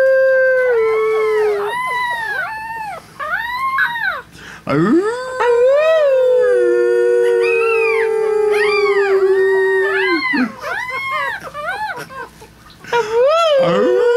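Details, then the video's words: Three-week-old Chihuahua puppies indoors howl along as people howl: short, high, arching wavering yelps repeat in quick bursts, overlaid midway by a long, steady, lower human howl held for several seconds. "Baby Chihuahua's singing"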